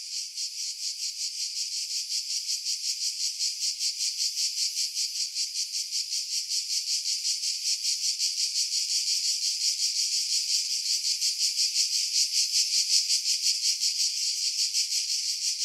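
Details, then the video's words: July 2018 cicadas singing in pines about 50 m over the sea, Pefkos Bay, Skiros Island, Greece, Sony RX3 with external mic: a loud, high rasping drone throbbing in fast regular pulses, gradually swelling in loudness. "Audio - Cicada Sounds, July 2018 Skiros, Greece"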